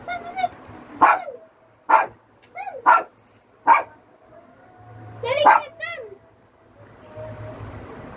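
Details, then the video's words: Pet dog playing hide and seek with its family, giving five sharp, loud barks spaced about a second apart, with tonal, whine-like voice sounds between them. "DOG BARKING PLAYING HIDE AND SEEK"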